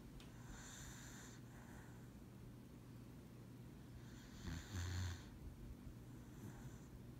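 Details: Lucybelle, a pet dog, taking a lap nap while asleep; two breathy, hissing snores about three and a half seconds apart, the second ending in a short low rumble, over a steady low household hum.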